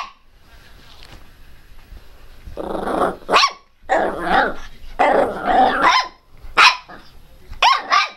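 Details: Loud, angry barking from Teco the Pinscher: rough growly outbursts alternating with sharp high yaps, irregularly spaced, over a faint background hum.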